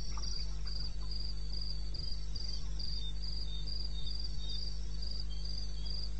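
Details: In the eastern Botswana wilderness at 2:30 AM, 21 May 2016, crickets keep up regular high-pitched pulsed chirps, evenly spaced bursts with a fainter second caller, against a continuous deep background hum.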